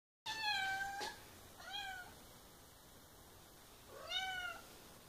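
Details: Ginger, a pet cat that drinks only from one particular faucet and loves a good conversation, meows three times indoors at the sink: clear, tonal, slightly falling cries, the last drawn out, with a faint knock between the first two.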